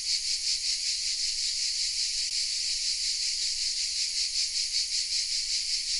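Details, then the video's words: Cicadas singing in the oaks around Vézénobres in southern France, captured with a Sony RX10 M3: constant shrill, hissing drone, high-pitched and pulsing slightly about two or three times per second, no other sounds. "The sounds of CICADAS😊 : Welcome in the south of France"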